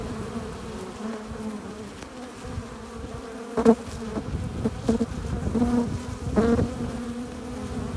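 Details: Honey bees crowd a hive entrance, carrying pollen and nectar home; a constant chorus of droning wings, punctuated by several louder passing bees buzzing close, notably near four and six and a half seconds.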